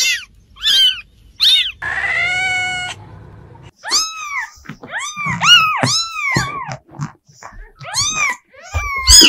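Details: Cats meowing: short high mews, then a long flat drawn-out meow, followed by a rapid run of arched meows from more than one cat, overlapping and varied in pitch.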